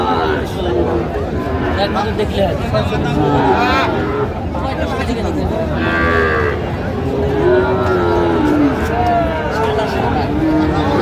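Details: Sahiwal bull calves offered to Dhaka farmers at the Aftabganj market, 16 August 2025. Busy crowd talk and haggling dominate, broken midway by a couple of short lowing calls and one longer, falling moo near the end.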